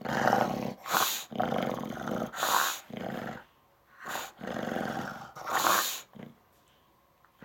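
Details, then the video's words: An English Bulldog, upset about something and throwing a tantrum, grumbles and growls in rough, drawn-out bursts, punctuated by sharp huffs and snorts. "English Bulldog Throwing a Tantrum"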